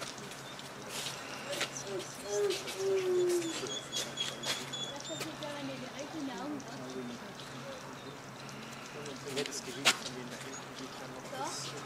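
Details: Timber wolf pack leader, watched by visitors, using squeaking sounds and behaviour to cue the pack to get into position and howl together; a clear, falling, squeaky whine lasts about a second, then scattered short squeaks over a low steady hum and faint chatter.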